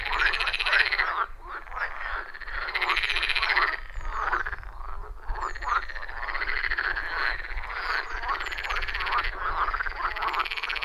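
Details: Loud chorus of wild frogs around a forest pond, recorded on an iPhone 14 Pro with a Shure MV88+; dense overlapping croaks and trills pulse in rhythmic bursts, several callers at once, with faint low rumble beneath and no music or talking.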